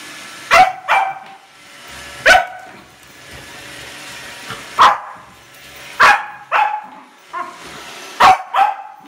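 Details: Corgi puppy meeting a Roomba robot vacuum for the first time, barking loudly in sharp single and paired barks, about ten over nine seconds, with a low machine hum between them.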